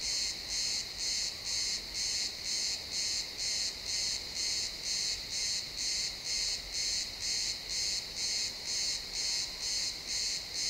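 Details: Realtime XY stereo recording of cricket chirps in a pine forest at sunset: a high, trilling pulse repeated steadily around twice a second, very regular, over a calm woodland backdrop.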